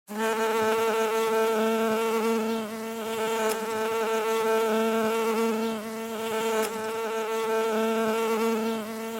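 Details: Real bee buzzing: a steady, droning hum with a rich, even tone that swells and eases slightly, continuous throughout with no other sounds.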